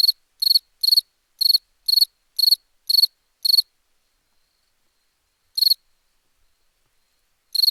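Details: Crickets recorded for a summer-night sound pack: short, high, pulsed chirps, eight in quick succession over about three and a half seconds, then a long pause broken by two more isolated chirps; otherwise silent.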